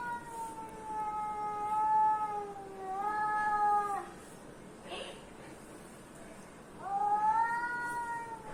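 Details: Domestic cat answering other cats' sounds with low, drawn-out yowls, two long harmonic calls separated by a quiet gap with a brief click, then a third call starting with an upward slide.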